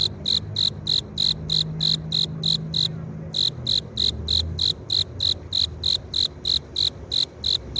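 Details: Courting male cricket chafing its forewings to draw a female: a rapid, regular train of shrill chirps roughly three per second, briefly interrupted just before the three-second mark, then resuming steadily.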